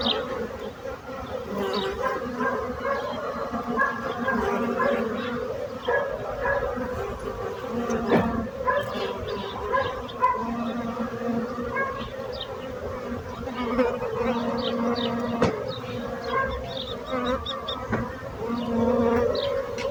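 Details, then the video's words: Bees buzzing in a dense, steady drone, layered low and mid hums that swell and ease unevenly over twenty seconds, with no other clear sounds. "So brutzit abelles - Bees sound - Bees buzzing sound effect"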